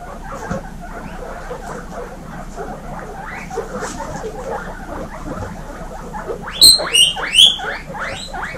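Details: Baby guinea pigs in a group kept at home among 26 females: busy rustling and soft chatter, then loud, shrill, rising squealing wheeks near the end, several overlapping in quick succession.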